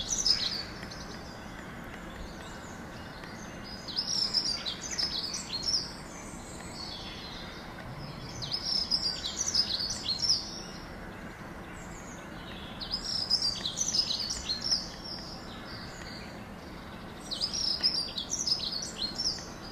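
A squirrel barks in quick runs of thin, high, chirp-like notes, pausing a few seconds between bursts. The bouts come back roughly every four to five seconds over a soft background hiss.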